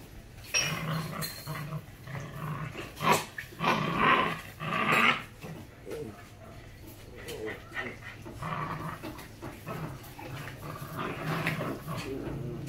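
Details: Belgian Malinois puppies, a pair of the imported line, indoors in Lĩnh Nam, Hoàng Mai, Hanoi, Vietnam; rough low growls and snarls come in uneven bursts, with panting and a person's voice nearby.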